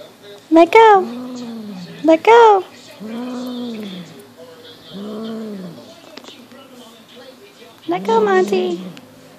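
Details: Six-month-old Highland Lynx cat named Monty with a fox tail: rising-then-falling low moaning growls, each about a second long, broken up by loud excited Dutch exclamations from people nearby.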